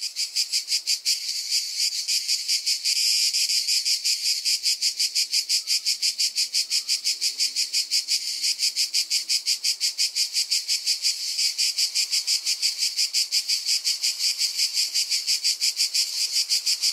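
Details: Cicada calling in a loud, steady, high-pitched buzz made of rapid regular pulses, with a brief swell in loudness near the third second; no other clear sounds.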